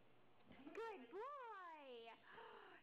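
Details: Husky puppy at play, howling a single long, smooth tone that rises, then arcs slowly downward over about a second, with a short rising note before it and a man's encouraging voice nearby.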